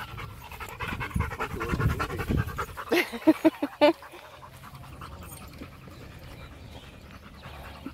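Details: Rottweiler named Macho catching his breath while fetching a ball, with soft, irregular panting and a few sharper breathy bursts in the middle, while a person calls him back and praises him.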